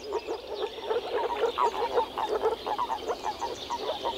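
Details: Male moor frogs calling through vocal sacs at an early-spring mating gathering in a forest pond or lake: rapid, low, gurgling pulses repeating roughly three times a second, overlapping from several frogs.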